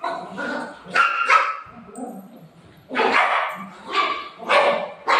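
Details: Golden Retriever fussing over being given a tablet, letting out short, strained barks and whiny yelps in clusters, with human voices in the background.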